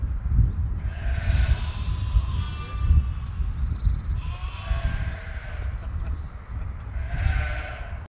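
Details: Goats in a meadow, recorded during filming of the TV programme Toer de Lei for broadcaster Reindonk: several short wavering bleats rise above steady, heavy wind rumble, spaced a second or two apart.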